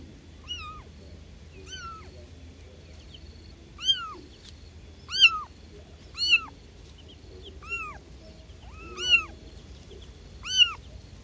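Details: Newly born kittens calling for their mother, giving a series of about eight high, arching mews spaced roughly one to two seconds apart, each bright and harmonic-rich, over a quiet low background hum.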